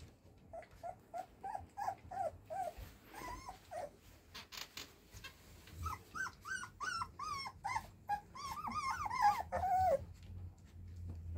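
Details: Sturdy, lively male Golden Retriever puppy indoors, whining in a series of short high rising-and-falling whimpers, two to three per second, pausing briefly then resuming louder and more insistent toward the end.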